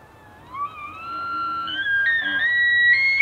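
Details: An elk bugles during the rut, in Pennsylvania or the Canadian Rockies: a pure whistled tone sliding steadily upward and holding high, the mating-season call.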